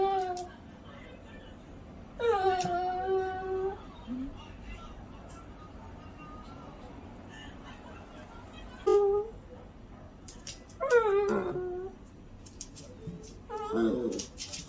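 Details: Shih Tzu; begging whine; begging for tasty food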